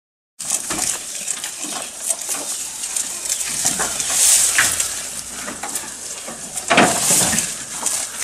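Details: Goat eating, recorded close up: irregular crisp crunching and rustling bursts, about three per second, with sharper loud crunches near four and seven seconds over a steady hiss.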